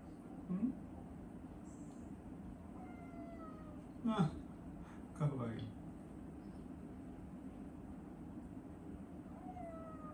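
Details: A house cat meows at its owner, who is eating and ignoring it, before climbing onto him. Two short, falling, harmonic meows come several seconds apart, with knocks and a rustle between them over a steady low room hum.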